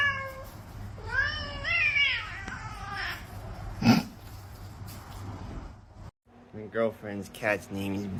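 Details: House cat meowing in rising, wavering calls over human speech, with a sharp knock in the middle and a later burst of quick repeated meows.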